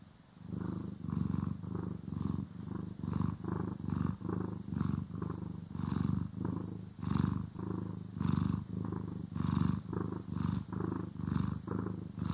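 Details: Domestic cat purring while being groomed and brushed, recorded in stereo: a deep, low rumbling purr pulsing in steady breaths, each swell lasting about half a second, with soft brushing strokes and no talking.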